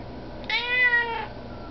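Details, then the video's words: A Russian Blue cat asks for food with one bright, harmonic meow lasting under a second, rising a little then sliding gently down, in a quiet indoor room. "Russian blue Cat talking asks for food / Ma chatte me demande a manger"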